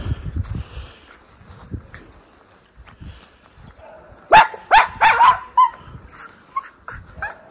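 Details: One of two Miniature Schnauzer brothers outside in spring, Aroostook County, Maine, April 2024, off leash after snow melt: quiet rustling at first, then a burst of four or five quick barks, followed by softer yips.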